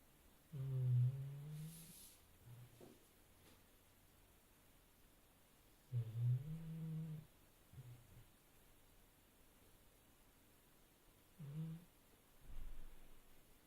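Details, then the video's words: Sleeping dog snoring in a small quiet room: three slow, low, buzzy breaths, each a rough rumbling drone about a second long, spaced roughly five seconds apart, with soft snuffles between them. "Epic Dog Snoring"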